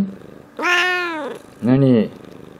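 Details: A pet cat talking with its owner on 21 February 2018 makes a clear, tonal, slightly falling "coo" lasting about three-quarters of a second. A second, lower and shorter voiced sound follows a second later, possibly a person answering, against quiet indoor background.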